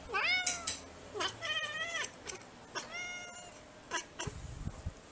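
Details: Bengal cats and kittens at home: a series of clear, drawn-out meows, each rising then falling, several overlapping at the start, followed by shorter meows and a few soft clicks and knocks.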